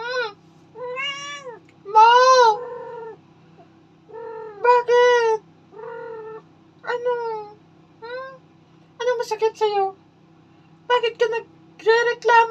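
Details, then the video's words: Domestic cat talking, answering a woman's questions with many short and long meows, some bending upward, mixed with her speech in Filipino and a steady low hum indoors. "Mema talking with me but I don't understand"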